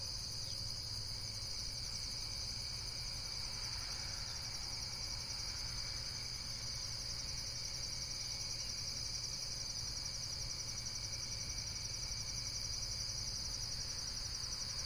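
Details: Insects trilling in a dense, continuous high-pitched chorus of rapid, steady pulses throughout, with a faint low hum underneath and no other clear sounds.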